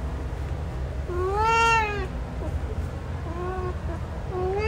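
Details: One clear rising-then-falling meow from a male cat called Hanzell, followed by softer, quieter meows against a rumbling low background noise.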